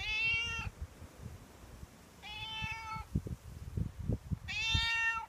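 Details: Outdoor stray cat waiting at a door in the morning or evening, asking for milk and food as part of a daily routine; three clear harmonic meows spaced about two seconds apart, with light knocking and shuffling noises in between.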